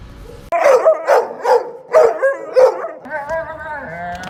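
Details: Pet dog in a funny compilation: four or five sharp, mid-pitched barks about half a second apart, then a drawn-out, wavering, tonal whine.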